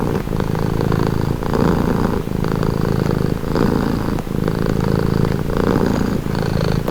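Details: Close, strong purring from a cat, presented as a soothing sound: rhythmic low rumbles broken into roughly one-second breathing phases, each switch marked by a slight change in tone.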